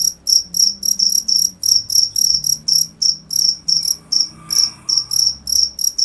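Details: Chirping cricket: evenly spaced high-pitched pulses about three each second, clear and loud, with a faint low drone and a brief soft noise midway.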